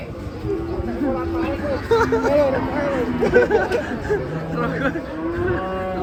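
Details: Cattle lowing in a steady series of deep, drawn-out moos, some short and some held, overlapping with one another, while people chatter faintly in the background.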